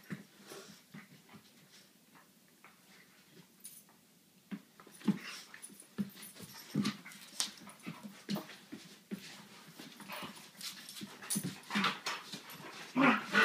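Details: Two Dunrovin puppies, Ohso and Kola, playing together: short low whimpers and squeaky yelps mixed with frequent scuffling taps and clicks, quieter at first and growing busier and louder after about five seconds.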